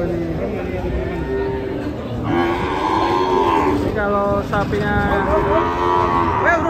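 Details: Agitated sacrificial cow unloaded from a truck while rampaging, lowing in drawn-out moos that swell louder and rougher partway through, joined by shouting people and background engine rumble.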